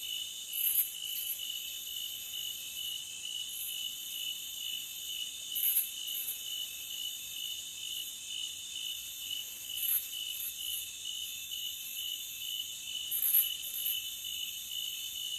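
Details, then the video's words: Forest crickets keep up a constant high-pitched ringing drone, a continuous trill punctuated every few seconds by short, sharper clicking bursts above the steady chorus. "Cricket Sound for 5 hours Loopable"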